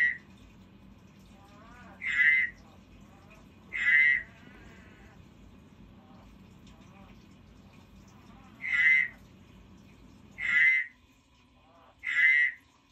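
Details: Pet frog giving single short, nasal croaks, six in all, spaced irregularly about two seconds apart with a longer gap mid-way, over a faint low hum.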